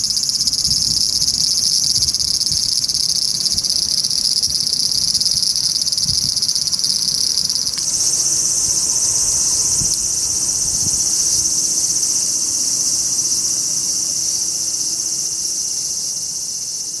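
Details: A large brown cicada in a park cherry tree sings a continuous, harsh, sizzling drone, high and hissing like frying oil, shifting slightly and growing fuller, with a faint low hum behind.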